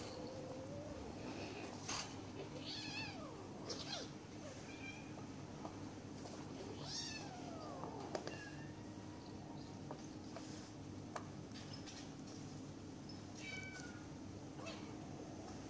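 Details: Several Bengal kittens wrestle in play in Kuching, Sarawak, Malaysian Borneo, giving repeated short arching mews and squeaks scattered throughout, with scuffles, thumps and a steady low electrical hum underneath.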